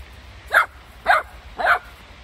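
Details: One-year-old Golden Retriever dog giving three short, sharp barks about half a second apart, each a bright burst with no other sounds.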